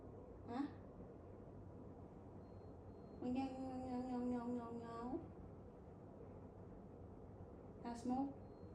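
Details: Cat meowing indoors: a short chirp-like call, then a long, drawn-out, steady meow lasting about two seconds that dips slightly at the end, and another brief call near the close, with a person speaking softly in between.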